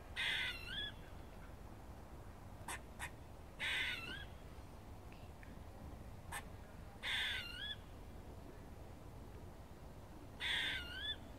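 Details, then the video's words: Squirrel barking and chirping in a Cambridge college grounds: four drawn-out, wavering harmonic calls with a warbling, up-and-down shape, repeated about every three to four seconds, with a few sharp clicks between them against a quiet background. "Squirrels barking and chirping"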